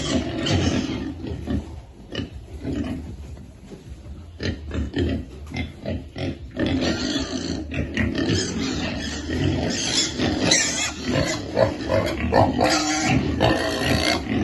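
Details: Hungry piglets being fed keep up a long, excited chorus of rough squeals and rapid grunts, rising in intensity toward the end.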